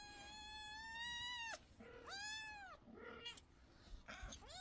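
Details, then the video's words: Kittens meowing loudly, several high harmonic-rich calls, the first long and arched, then shorter overlapping meows from more than one kitten in a quiet indoor setting. "Kittens meow so loudly that the whole family is worried"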